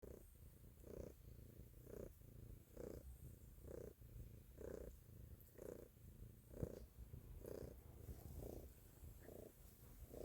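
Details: Domestic cat purring loudly indoors, a steady low rumbling throb pulsing about once a second, each pulse swelling and fading in a regular breathing rhythm, with no other sounds clearly heard.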